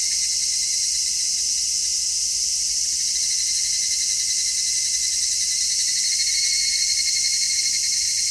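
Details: Cicadas singing in midsummer, recorded in stereo on an MKH-416 microphone: a loud, continuous high shrilling with a gently throbbing lower band, growing slightly louder toward the end.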